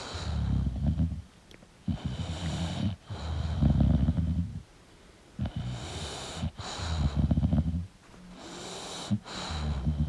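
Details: Sleeping English bulldog producing deep, gravelly snores: loud rattling inhales alternating with hissing, breathy exhales, about four full breath cycles across the stretch.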